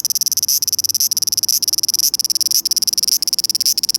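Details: Cicada song from a Japanese summer, 2020: rapid rhythmic pulsed buzzing, about ten to twelve pulses per second, grouped into phrases with short breaks roughly every half second.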